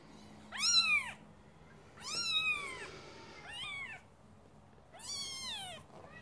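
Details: ['High-pitched mewing from Scottish Fold kittens, three loud arched calls about two seconds apart, the first and last strongest, with a quieter shorter mew between them over faint steady hum.']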